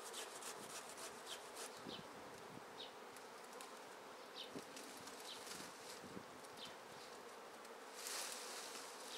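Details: Honey bee swarm being taken from a tree into a swarm basket: dense, continuous buzzing hum with a steady mid-pitched band, sprinkled with faint rustles and soft clicks throughout.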